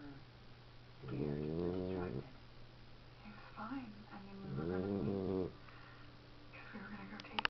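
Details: Indoors, a 13-week-old Boxer puppy asleep after a tiring day snores twice, each breath a low, buzzy rumble lasting about a second, separated by several seconds of quieter breathing.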